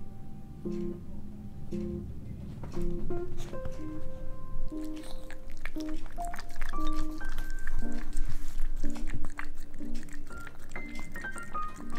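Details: A plucked guitar or ukulele melody plays quietly in a small indoor room, with no animal sound.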